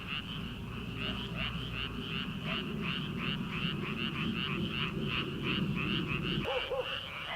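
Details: Early-summer frog chorus in rice paddies before transplanting: loud, crowded, fast rattling trills pulse continuously over a low rumble, with one faint far-off dog bark near the end.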